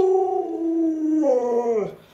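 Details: Alaskan Malamute Luoluo, a pet dog, reacting while its owner is sick and unable to get up, gives a smooth howl that drifts gently downward, then rises briefly and drops away near the end, with clear overtones and a quiet background.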